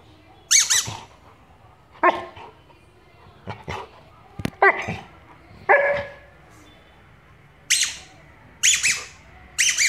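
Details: Golden Retriever named Louis, a hyper pet dog, barking while playing with a ball: about eight short, sharp, harmonic barks at irregular gaps of one to two seconds, some in quick pairs, with quiet pauses between.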